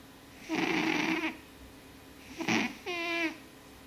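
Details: Oska, a blue British Shorthair house cat, snoring heavily while asleep: a long rasping, noisy breath of about a second, then a short snort and a brief whining, tonal squeak as he exhales, in a quiet room.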